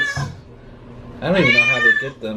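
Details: Pet cat in a bath, disliking water: a single drawn-out, strained meow with a wobbling pitch, preceded by a quiet human voice saying please, in a small indoor room.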